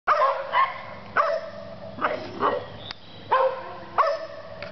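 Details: Dog barking in clear, evenly spaced single barks, about six sharp harmonic-rich barks roughly every half second to second, each with a quick onset and short tail, over a steady low background hum.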